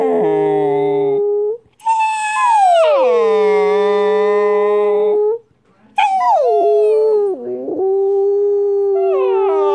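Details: Siberian Husky puppy howling in long sustained tonal notes, each starting high and sliding down to a steady pitch, with short quivering breaks and pitch wobbles between three drawn-out howls.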